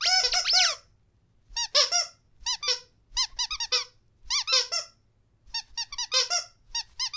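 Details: Rottweiler teasing its owner at home, giving short bursts of bouncing, yodel-like whimpers in quick clusters of three to six notes, separated by silent gaps of about half a second.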